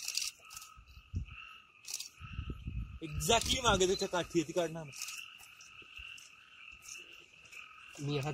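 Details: Frogs in the Amboli hills forest, Sindhudurg, heard at night with no added music: a continuous chorus of rapid repeated notes, with one loud, harsh, rattling croak sequence midway.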